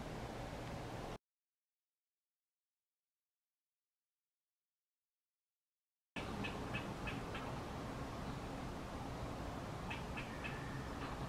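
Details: Backyard squirrel in Salt Lake City calling, signalling and expressing frustration: after a silent gap, sharp short chips come in quick bursts of about four, repeated several times over a steady low rumble of background noise.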